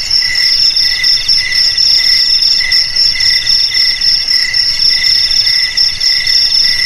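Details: Crickets trill in quick, shimmering pulses, high and bell-like, with several voices stacked into a steady continuous chorus and little other sound.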